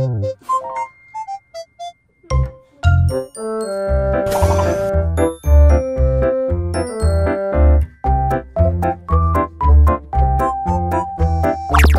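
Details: Bouncy children's music with chiming bell notes and a steady bass beat, briefly pausing near the start, and no animal sounds.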